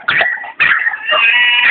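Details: Red-nose pit bull puppy aged seven months giving high-pitched whines, two short wavering cries followed by a long, steady drawn-out whine.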